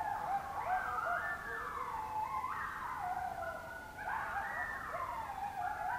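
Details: Oklahoma coyotes in October 2016, very close: a chorus of wavering, sliding howls and yips overlapping in high quavering wails that rise and fall, with a fresh swell of voices after four seconds.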